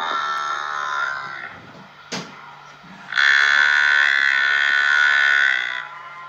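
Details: A buffalo calf calls twice with drawn-out, nasal, buzzy, reedy bleats rich in overtones; the first fades after about two seconds, then a brief knock before a louder, steadier cry holding nearly three seconds.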